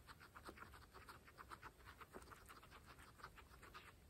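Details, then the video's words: Close-up of pregnant female guinea pigs feeding on fresh grass; quick rhythmic crunching, several bites per second, each a short crisp click, steady and unbroken across a few seconds. "Pregnant Guinea Pigs fresh grass Mukbang (ASMR)"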